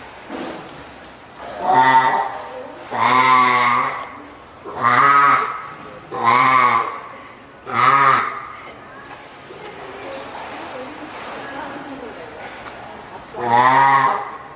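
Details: Hand-reared female spotted seal pup, born April 19, at Oga Aquarium, Japan, on 9 May 2017, calling loudly for its keeper, perhaps hungry or wanting to get onto land. Six harsh, bleating, harmonic cries, each about a second long, come roughly every two seconds, with a quieter gap between them. A slightly larger pup is also present.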